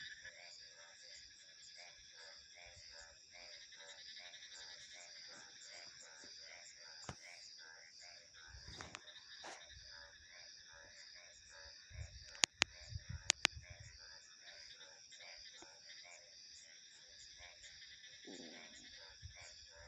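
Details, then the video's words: Steady chorus of rhythmic, pulsing frog croaks at mid pitch beneath a bright, constant insect buzz, broken by a few sharp clicks and a brief low rustle. "Frog Sounds 🐸 Insects, Crickets and Wind Ambience"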